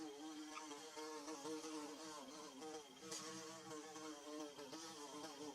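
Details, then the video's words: Buzzing bees at work making their nest, captured with DSLR and phone; a droning hum that bends gently up and down in pitch, several wingbeat tones overlapping in a dense, unbroken layer. "Bee Buzzing"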